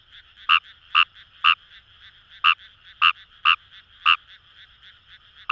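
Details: Paddy-field Fejervarya kawamurai near the Kamo River, Itoshima, Japan: eight brief clucking croaks about one per second, with a pause in the middle, over a continuous trilling frog chorus.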